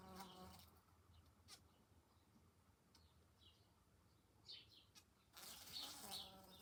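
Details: A bee at a house window in July, whose odd noise woke the resident, buzzes in short, harmonic bursts, loud at first, fading out, then surging again.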